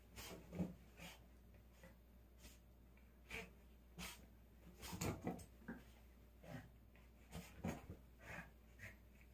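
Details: Pet dog absorbed in play with its beloved toy doll; scattered breathy huffs and snorts with soft whimpers between, spaced unevenly, plus faint rustling of the toy in a quiet room.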